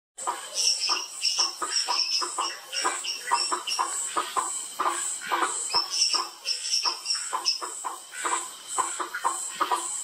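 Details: Bischoff's tree frog chorus at Sitio Cantos da Mata, Mogi das Cruzes, São Paulo, Brazil, recorded 8 February 2019: rapid, clicking pulsed calls repeated many times per second from several frogs, with a steady high insect hiss behind.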